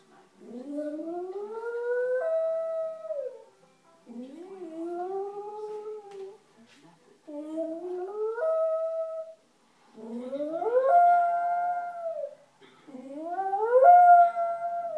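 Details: West Highland White Terrier howling when lonely: five rising, wavering howls with clear harmonics, each about two seconds long and separated by short pauses, the later howls climbing higher and louder.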